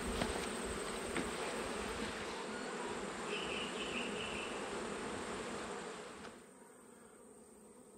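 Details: Colony of Italian honey bees humming in a full top box while frames are checked during autumn; a thick, steady buzz that drops sharply quieter after about six seconds, ending with a loud knock.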